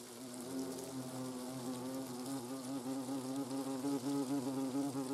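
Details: Hornets in the nest, Eifel region: a loud, continuous wing buzz from several insects, a low steady hum with wavering overtones that pulse in loudness, no other sounds.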